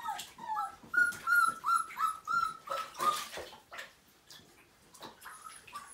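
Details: Wet, chilled Siberian Husky pup aged five weeks, one of a litter of nine, cries during a first bath: a rapid run of short, high whines, about three per second, then quieter fading whimpers amid splashes.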